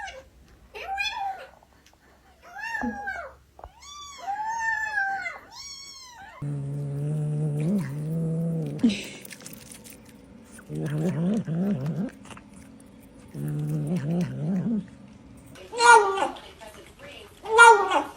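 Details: Domestic cats growling while eating, with several high wavering meows first, then low buzzy growls in three bursts of about two seconds each, ending with two sharp yowls.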